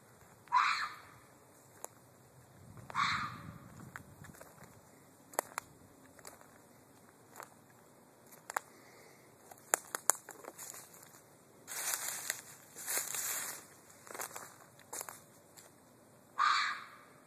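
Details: Screaming red fox gives short, raspy, harsh cries at intervals of several seconds, with footsteps, rustling and scattered clicks between the calls.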